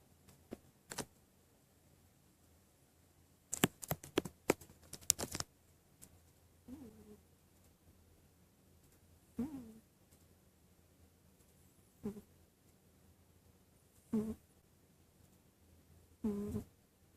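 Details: Sleeping cat snoring indoors, short low snorts with a rising tone recurring about every two to two and a half seconds, after a burst of sharp clicking and rustling near the start.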